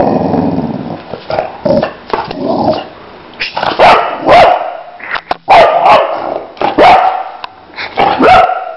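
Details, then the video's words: Boxer named Lila barking and grumbling in an irregular series, short woofs and growly yodels spaced about a second apart, some with a wavering upward inflection, rendered by listeners as wow, wow, wow. "Crazy dangerous Boxer dog - Lila Loca au au au"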